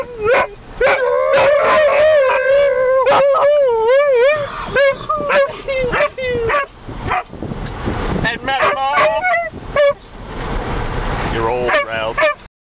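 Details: Husky dog 'singing' Happy Birthday: long wavering howls with sliding, yodel-like rises and falls in pitch, broken by shorter yips and whimpers toward the end, while a person's voice is heard in between.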